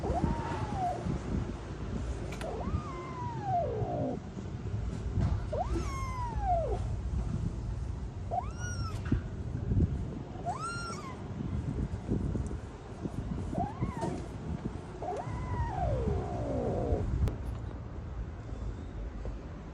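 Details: Frozen, abandoned kitten, rescued after two days in -11°C snow, calls with a series of arched meows, about seven over twenty seconds at irregular gaps, some plaintive and drawn-out, others short, against constant low-pitched background noise.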